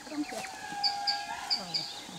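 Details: A group of indris about 250 metres away in the forest of Zahamena National Park, Madagascar, gives a long, steady, mournful wailing call, their way of greeting one another within the group.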